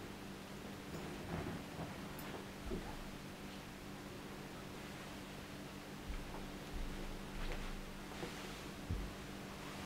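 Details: Quiet indoor room tone with soft rustling, faint ticks and a steady low hum; no animal voice stands out.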